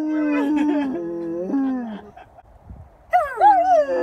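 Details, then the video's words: Pet dog howling indoors: two long, steady, slightly wavering tones in the first two seconds, a pause with faint noise, then a louder howl that rises and bends downward, rich in overtones. "howling compilation"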